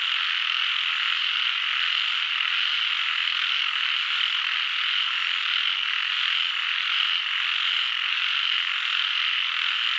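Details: Frog chorus: a dense, unbroken wall of overlapping calls, steady in loudness and pitch, with no pauses or single voices standing out for the full ten seconds.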